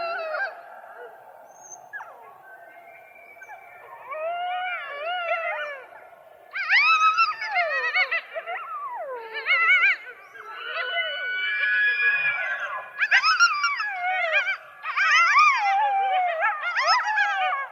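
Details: Coyotes calling in a group: a low steady hum of howling underneath, then bursts of higher, quavering yips and warbling howls arriving in waves every two seconds or so, louder toward the end.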